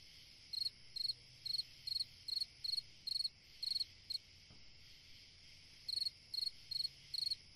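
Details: Night cricket in summer, crisp high chirps repeated a little over twice a second, a brief break after about four seconds before the series resumes, with a faint continuous insect hiss behind.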